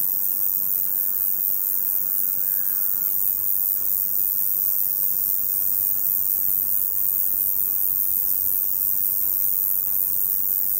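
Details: A male Roesel's bush cricket sings a continuous, very high, penetrating hissing buzz like overhead electricity wires, to attract females; the species sings by day, July to September, in hot sunny weather.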